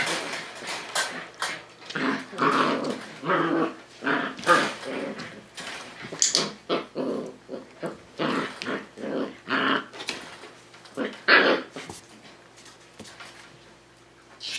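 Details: Five-week-old Tamaskan Dog puppies playing the Puppy Culture box game indoors in a small room, giving short growls and whimpers in irregular bursts amid scuffling and knocking noises.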